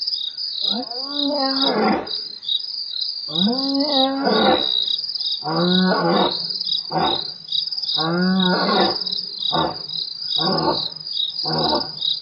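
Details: A lion roars at Nkorho at 12:51 am on 12/09/07, a series of deep, moaning bellows that shorten into grunts, over steady cricket trilling.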